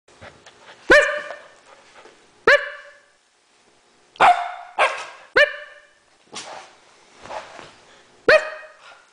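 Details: Three seven-week-old male Alaskan Malamute puppies playing in a garage give short, high yipping barks, spaced irregularly.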